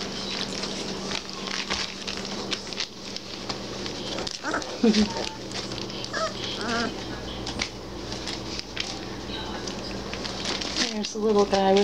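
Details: Three-week-old Basset Hound puppies beginning to play with each other give short, wavering, high whimpers and squeals, clustered mid-way and again near the end, over a steady low hum with some background music and a person talking.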